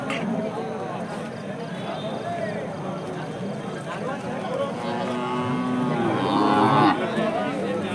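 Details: Hallikar cattle at a temple cattle market; a drawn-out harmonic moo swells late in the recording over a steady din of crowd chatter and market noise.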